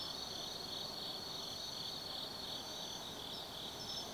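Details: Short stretch of an autumn night insect chorus at Tsukimi no Mori, Nanno, Kaizu, Gifu, Japan: constant shrill buzzing trill with a brighter pulsing tone and occasional high chirps, faint low-frequency ambience underneath.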